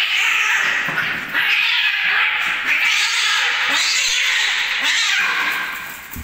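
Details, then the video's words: Cats fighting, a compilation of homeless cats: loud, harsh, continuous caterwauling and hissing screeches filling the whole stretch, with brief dips between bursts. "Cats Fight Compilation Meowing Fighting"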